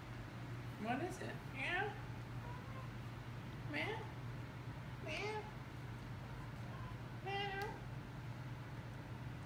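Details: Two Maine Coon cats indoors, playing with a new electronic toy ball, give about six short rising and falling meows spread over the clip, over a low steady hum.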